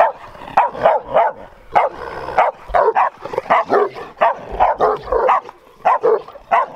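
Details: Bucovina Shepherd Dog, a large breed described as having a strong temperament, filmed in 2021. It barks in rapid bursts of two or three throaty woofs, with brief pauses between bursts.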